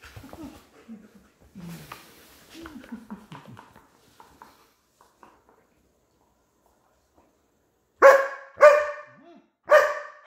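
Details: German Shepherd fighting with its owner over her toy: low growls and whines with a person's voice through the first half, a silent gap, then three loud sharp barks in quick succession.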